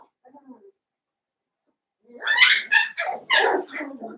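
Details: Blenheim Cavalier King Charles Spaniel puppies from a litter of five born at New Year's, in an indoor puppy pen. Faint sounds open, then a two-second run of high, harsh, overlapping yelps and squeals.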